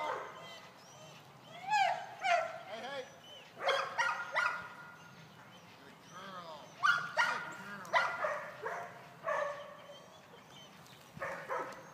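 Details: Eight-month-old male golden retriever in retrieving practice on short single marks, mixing excited barks with arched, rising-and-falling whines in irregular bursts, interspersed with brief quieter pauses.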